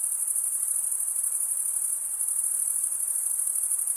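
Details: Continuous chorus of male crickets stridulating, a dense high-pitched shimmering trill held steady without pause, with only faint low hiss beneath.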